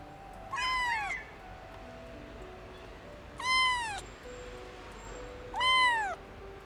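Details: A hungry orphaned kitten, just rescued after living in a car engine for warmth during cold days, gives three high, thin meows that arch up and fall away, asking for food.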